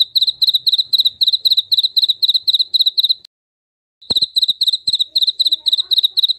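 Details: Jaliteng cricket chirping, offered as a rat and mouse deterrent: rapid high, ringing pulse clusters repeated evenly, broken by a one-second silence, then resuming at the same brisk pace after a faint click.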